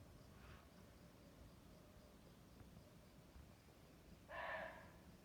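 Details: Deer in the jungle, said to be suffering, utters one short, tonal, harmonic bleat lasting about half a second near the end, after a long stretch of faint steady background hiss.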